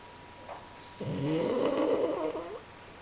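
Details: Napping French Bulldog Masaru and Pug Bob; a single drawn-out, rattling snore of about one and a half seconds rises out of a quiet room and fades.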